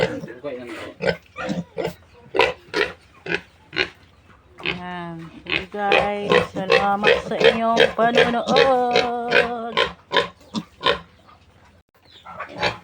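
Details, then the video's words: Piglets of a new sow, one month old and being weaned, give repeated short squeals and grunts, then a longer stretch of drawn-out wavering squeals; a man talks in the background. "Pagwawalay ko sa mga biik ng bagong inahing baboy"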